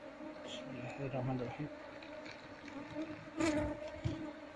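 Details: Honey bee colony that nested inside a loudspeaker box, disturbed as its combs are taken out by hand for moving into a hive box; steady droning hum with a low tone and higher overtone, punctuated by handling knocks.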